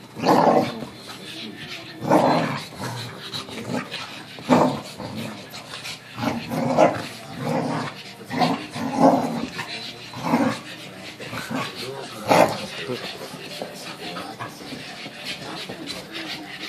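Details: A French Bulldog puppy in a living room, learning to play with a cousin, gives gruff, snorting growls and yaps in short bursts during rough play.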